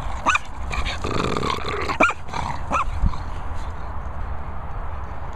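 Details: A French Bulldog utters a few sharp, arched yips spaced about a second apart, with a rough, low grumbling growl in between and a steady low hum underneath.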